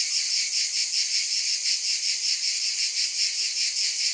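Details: Steady high, hissing cicada drone with rhythmic pulsing swells about two and a half per second; nothing else audible.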